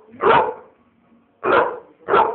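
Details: An American Bulldog barks three times: short, loud, gruff barks, with the first followed by a pause of about a second and the last two close together. A person says "no no no" just before.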